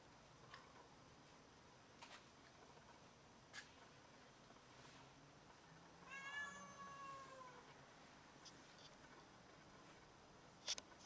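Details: Domestic cat that caught a rat and brought it in to show off, giving one drawn-out harmonic meow of about a second, slightly falling at the end, amid quiet indoor background with scattered clicks and knocks.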